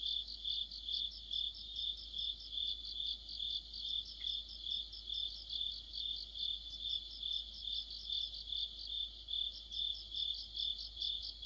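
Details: In the depth of autumn, crickets and other insects sing together. A constant piercing trill beats in regular pulses about two or three times per second, with a brighter chirping layer riding above it throughout.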